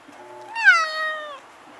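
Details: Stray cats that visit a home and battle nightly, recorded on a Nikon Coolpix S01: one drawn-out yowl, nearly two seconds long, rising slightly then sliding downward with rich harmonics, over a quiet background.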